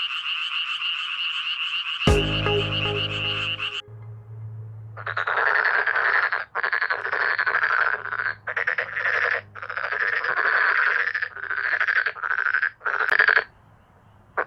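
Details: Male black-spotted pond frogs in a loud chorus; after a high droning background and a brief humming tonal sound, bursts of harsh, rattling croaks follow one another with short gaps, each lasting under a second.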